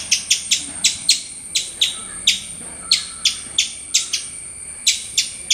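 A squirrel gives loud, sharp, high chips, repeated several times a second in an uneven run.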